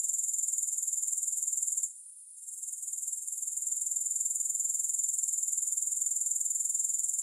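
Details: Grasshoppers chirring in a shrill, rapid pulse train that drops away for a moment around two seconds in, then swells back to a steady high-pitched buzz; nothing else audible.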